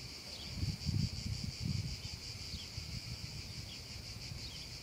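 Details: Cicadas singing on a hot summer afternoon over a meadow: a steady, shimmering high buzz with faint regular pulsing, laid over a heavy low rumble of wind or background noise.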